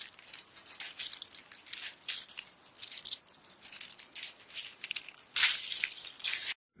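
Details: Eastern Diamondback Rattlesnake rattling during venom extraction, a dry hissing buzz that swells and fades in uneven bursts, louder surges near the end before cutting off abruptly.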